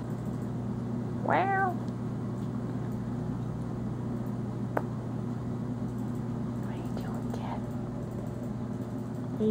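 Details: Young male cat, adopted a few months earlier as a scared kitten, indoors in low light; one short rising-then-falling meow near the start over a steady low electrical hum, with a person talking to the cat.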